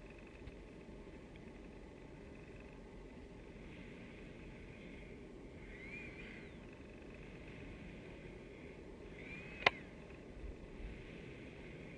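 Steady low background rumble and hiss with a single sharp click; no animal calls stand out.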